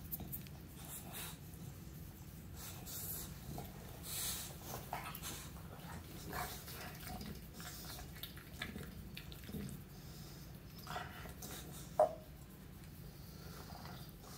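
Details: English Bulldog named Meatloaf enjoying a massage in the morning indoors, giving a low, steady rumbling drone of grunts and heavy breathing, with faint rustling and a brief sharp tap near the end.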